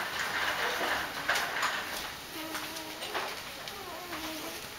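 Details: Doberman puppies greeting their mother Jessica as she returns from a walk; thin, wavering whines rise and fall in short overlapping bursts, mixed with soft clattering and rustling.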